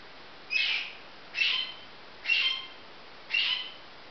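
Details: Marmoset babies calling in four regular high, short, whistled chirps about a second apart, each fading quickly, with steady background hiss.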